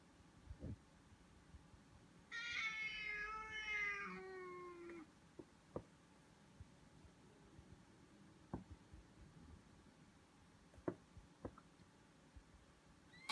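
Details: Siamese Foreign White cat during a disagreement, giving one long drawn-out wavering meow of about two and a half seconds, followed by faint clicks and small knocks in a quiet room.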